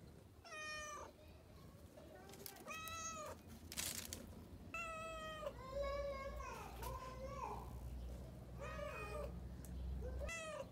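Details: A brown cat meowing: a run of clear, drawn-out meows about every two seconds, each sliding slightly down at the end, over a low background hum and hiss.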